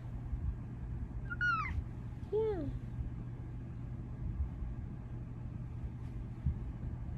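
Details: Bengal cat Luxe, a female pet, meows to thank her owner for her new homemade cat cave. Two short meows about a second apart: the first higher and falling, the second lower with a drooping glide. A steady low hum runs underneath.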